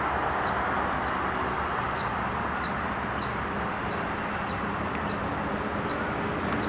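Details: A squirrel at Hebbal park gives short, high chirps, repeated steadily over loud rushing background noise.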